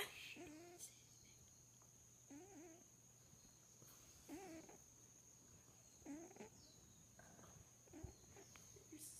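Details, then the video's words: Kia, a sleeping cat, snores softly indoors: wheezy, slightly whistling breaths with a nasal tone recur about every two seconds, over a steady high electronic hum and quiet room noise. "Kia the snoring cat"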